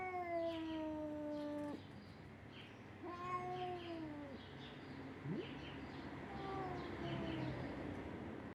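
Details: Small Siamese kitten bothering an older ginger cat: several drawn-out falling meows of about two seconds each, growing fainter, over a low rumbling background.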